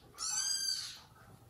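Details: Home cat family of mother cat Jaco, her kittens and foster kittens, with the dad cat punishing her; one shrill, high meow lasting under a second, then quiet hiss.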